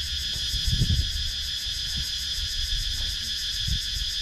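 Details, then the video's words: Rural woodland in Sakon Nakhon, Thailand, with cicadas buzzing in a loud, unbroken high-pitched drone that carries a fast pulsing beat on top, recorded by GoPro Hero 9; a few soft low thuds below. "Cicadas Sound"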